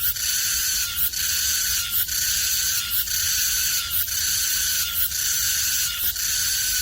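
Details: Two 쓰름매미 cicadas in a maple tree at Seocho Culture and Art Park, singing a loud, shrill, high buzzing drone broken by brief dips about once per second in a steady pulsing rhythm.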